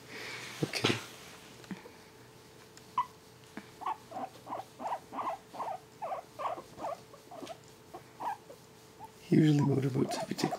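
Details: A male guinea pig being tickled gives a soft, steady, pulsing series of low chuts, about four per second for several seconds, before a person's voice cuts in at the end.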